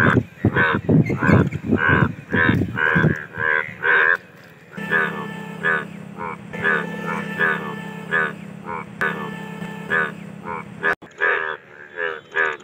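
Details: Indian bullfrogs in mating chorus, rapid clustered croaks at first, then spaced honking calls over a steady low droning hum.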